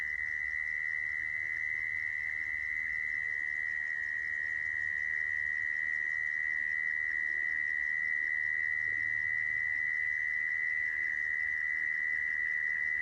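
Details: Sound of a mole cricket used for trapping crickets: an unbroken, even buzzing trill at a single high pitch lasting the whole stretch, with faint overtones and quiet low background noise.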